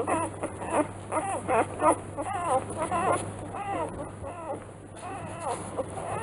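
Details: Newborn Rottweiler puppies, three days old, litter of Ziva van Angfiero at Kennel Angfiero. Arched, rising-then-falling whines repeat in quick irregular succession, about one every second, with a constant low electrical hum beneath.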